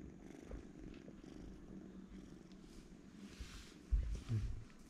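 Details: Deep, rumbling purr from twin kittens asleep side by side, a continuous low throb with rapid regular pulses, and two louder soft thumps of movement close to the end.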